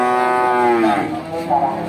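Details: One Simmental cow at Bekonang cattle market, Sukoharjo, Central Java, lets out a single short, rich, harmonic moo that slowly drops in pitch, with music behind it.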